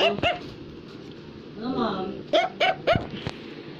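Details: Affenpinscher, a toy dog breed, barking indoors while a child tries to talk to his mother; a few sharp high barks open the clip, a child's voice in the middle, then three quick barks in a row.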